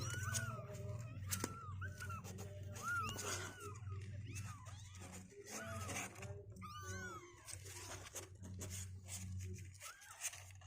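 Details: Day-16 kittens, two weeks old and stronger, keep mewing in short wavering cries, several in a row then gaps, with a low continuous room hum underneath.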